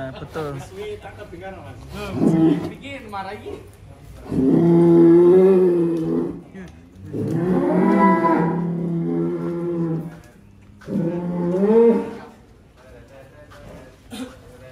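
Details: Huge barn-kept cows in Wonosobo, Indonesia, some reaching 1.3 tonnes, give three drawn-out lowing moos of about two seconds each, separated by short pauses and brief human speech.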